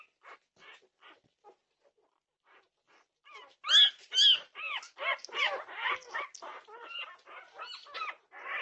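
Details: Several Norwegian Buhund puppies at 2:30 am, June 8, 2021: faint scattered squeaks at first, then loud arching whines and yelps that pile up in quick succession.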